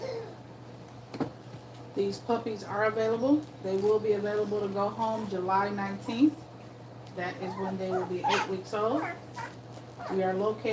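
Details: Two-week-old German Shepherd puppies whimper almost continuously while nursing, with a series of drawn-out, wavering harmonic cries, several dipping then rising, after a sharp click near the start.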